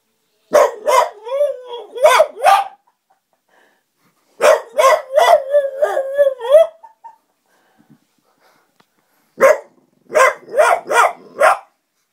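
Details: French Bulldog howling like a wolf in three bouts. Each bout is a run of short, sharp barks mixed with wavering, yodel-like howled notes, with brief silent pauses between the bouts.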